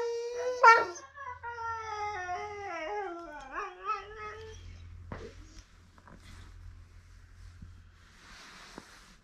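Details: Catahoula Leopard Dog Addie, hearing herself through a laptop, lets out a quieter howl that climbs sharply, then steps downward in wavering notes over about four seconds, followed by low hum and faint shuffling.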